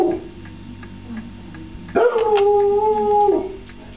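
A foxhound gives a long, steady howl, asking for its food.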